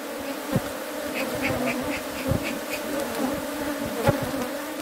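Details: Steady, even buzzing of bees at local honey hives, a low droning hum with overtones. A short run of faint high chirps sounds near the middle, with occasional soft taps.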